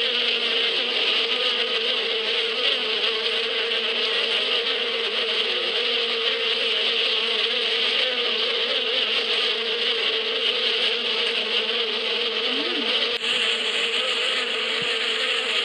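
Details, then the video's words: Spring bees in the Bedouin steppe, a long, constant drone of many buzzing wings with a steady low hum and bright hiss, a brief click near the end, then the buzz continues. "اصوات النحل في فصل الربيع"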